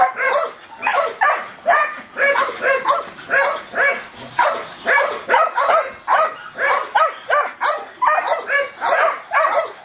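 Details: Excited Belgian Malinois dog driven for a ball, barking in quick, sharp, high yips, roughly two per second, steady throughout.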